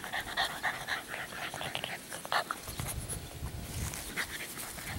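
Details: Meredith, an 11-week-old female chocolate tri English Bulldog puppy, pants rapidly and noisily, with brief, high, tonal whimpers and squeaks breaking through now and then over a soft background rustle.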